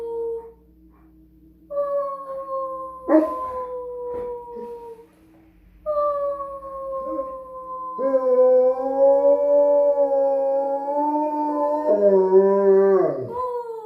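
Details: A dog howls along with a person, giving long, drawn-out howls that hold steady, then waver and slide downward at the end.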